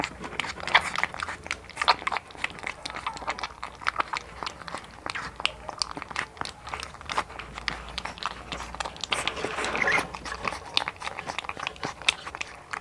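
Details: One-month-old American Bully puppy named Hunter, blue-coated, born November 18, 2019, in the Philippines, eating indoors in a small room: dense wet crunching, biting and chewing clicks packed throughout, with a brief louder smacking burst near the end.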